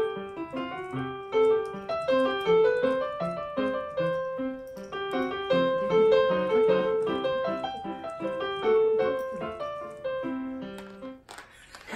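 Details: Only a steady electric piano melody plays throughout, with bright repeated notes and no animal voice.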